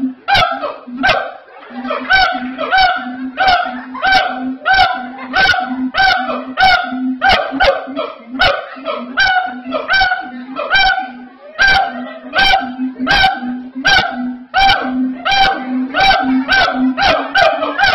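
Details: A siamang at Ragunan Zoo, South Jakarta, gives very loud, harsh, barking calls, repeated rapidly and rhythmically with strong harmonics.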